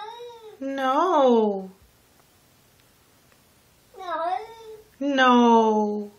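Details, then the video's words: Domestic cat from a talking-cats compilation giving three loud, rich harmonic meows, the first rising then falling, a shorter wavering one after a two-second quiet gap, then a long drawn-out cry, indoors. "Talking Cats"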